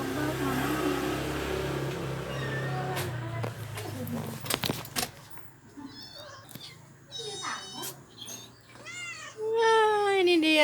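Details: A domestic cat gives several rising-then-falling meows, part of the daily greeting when the owner comes home, after a stretch of music and speech.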